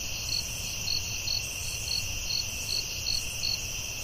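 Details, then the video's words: Crickets at night in a forest: a steady, high, shimmering drone with a brighter chirp pulsing out over it about two to three times a second, over a faint low rumble. "Soothing Cricket🦗 Sounds at Night"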